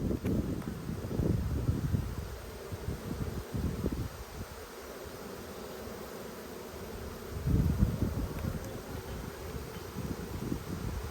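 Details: Honey bees buzz in an opened Australian hive during a summer dearth, February 2022, as the queen slips around a frame; a thick, low hum with louder surges at the start and again later.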